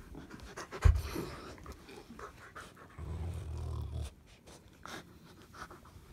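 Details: A Rottweiler growls while playing and biting at a person's arm. A low rumbling growl lasts about a second midway through, with panting breaths and scuffling before and after it.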